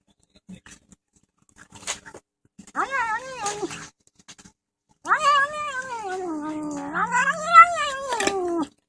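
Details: Fat male pet cat indoors complaining about being filmed during his meal; two yowling, warbling moans, the second long and undulating, rising then sliding down, with faint background clicks.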